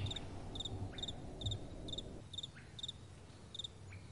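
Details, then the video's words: At night, crickets sing amid soft wind: evenly spaced short pulsed chirps about every half second, clear above a low rumble that quietens partway through. "Crickets & Soft Wind"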